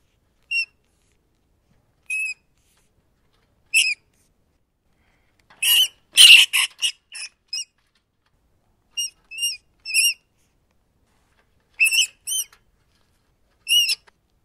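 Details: Rat giving short, high harmonic squeaks spaced one to two seconds apart, with a burst of harsher, noisy squealing chatter in the middle; quiet background otherwise.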